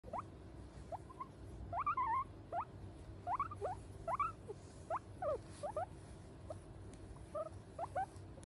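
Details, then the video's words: A guinea pig responding to a person's touch; short squeaky chirps, steeply rising and falling, come in an uneven series of about two per second, with a soft background hiss. "How Guinea Pig responds to human’s touch🔊"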